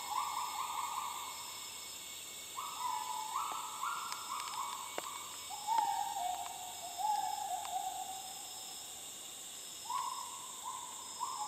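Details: Gibbons calling in the jungle of north Borneo, Sabah, in 2011, filmed with a Nikon D7000: a series of pure, hooting notes that rise in steps and level off, repeated one after another, over steady insect drone.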